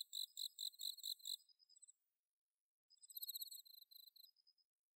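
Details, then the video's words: Autumn night song of bell crickets from Inba-numa rice paddies in Chiba, Japan, captured on a Zoom H6: bright, bell-like pulsed phrases, two bursts of rapid ringing chirps separated by a second of silence. "秋の虫の鳴き声 スズムシ コオロギの鳴き声"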